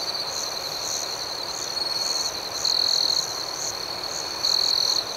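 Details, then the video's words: Crickets chirping at night: a steady, high-pitched ringing trill runs throughout, swelling into two louder sustained bursts midway and near the end, with faint rapid pulsed chirps layered above and no other sounds. "Soothing Cricket Sounds"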